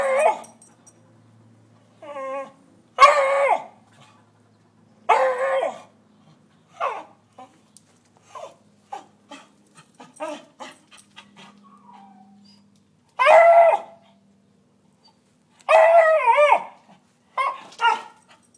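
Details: A beagle barking at squirrels gives loud, ringing barks and drawn-out, wavering bays in irregular bursts.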